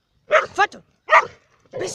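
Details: Dogs in Cyprus in winter, Labradors alongside a hunting dog: two brief, loud barks with a yelping, rising edge, then a softer, noisier sound closing out the short stretch.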